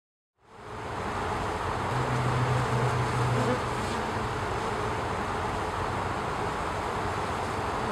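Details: Western honey bee forager performing the waggle dance to tell nestmates where nectar or pollen lies; a steady, dense hive hum with a low buzzing burst lasting about one and a half seconds in the middle.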